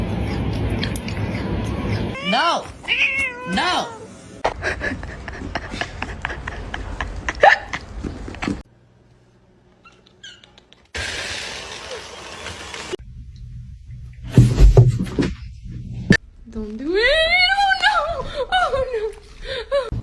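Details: Domestic cat calling in a funny cat compilation: a rising-then-falling arched meow near the end, after stretches of talking, thumps and a short near-silent gap.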